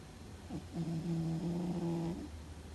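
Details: Fuzzy, a sleeping domestic cat, possibly dreaming, gives one loud drawn-out snore lasting about a second and a half, a low steady droning tone with a brief rise at its start, indoors in a quiet room.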